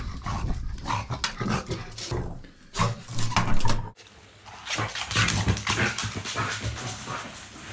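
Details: Loud, rapid panting and throaty grunts from a French Bulldog after hearing strange noises, a dense run of breathy puffs broken by a brief pause.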